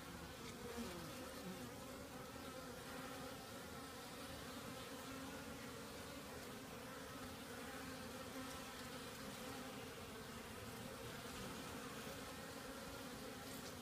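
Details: Many honey bees busy around their hive on a mild January 2015 day after cold weather. Continuous even buzzing drone with stacked low humming tones, unchanging throughout, with faint flickers of single bees flying close by.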